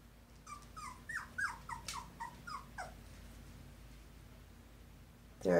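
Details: Poodle puppies, two weeks old, from Tigre's litter of five brindle and parti-colored pups, whimpering in short falling squeals for about three seconds, then near silence before a sudden loud clatter at the end.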